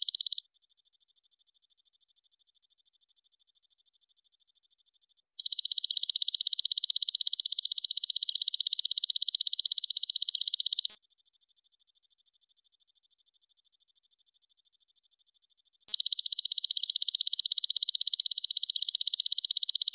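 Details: Golden grasshopper song, recorded as a tutor track for training songbirds: dense, high, buzzy stridulation in steady bursts of about five and a half seconds, separated by roughly five-second silences, with a clean background and no other sounds.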